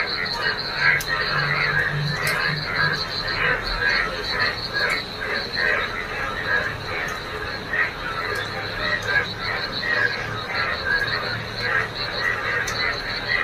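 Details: Frogs gathered in a rain-filled field on a wet morning, a busy chorus of grating croaks over an unbroken high trill, with a low hum and occasional sharp clicks.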